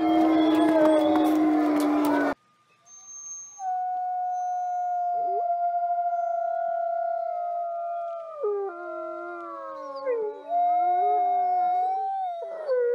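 Several wolves howl together in long, sliding tones that overlap and waver in pitch.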